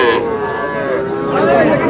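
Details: Brief burst of Sahiwal bull calves mooing at a Barishal cattle market in Bangladesh, a steady harmonic bellow that bends upward near the end while market chatter hums underneath.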